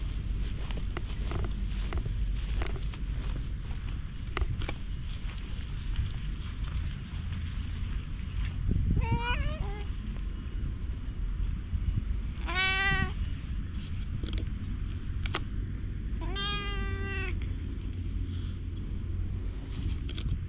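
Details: Stray black cat in a park lets itself be petted, filmed on a GoPro HERO8. Three drawn-out, wavering meows sound near 9, 12.5 and 16.5 seconds over steady wind and low outdoor rumble.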